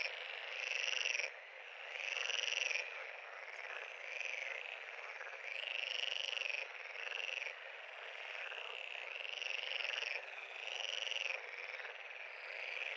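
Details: Frogs at a pond: pulsed, buzzy trills, each lasting about a second, swell and break off roughly every two seconds above a continuous background chorus of other calling frogs.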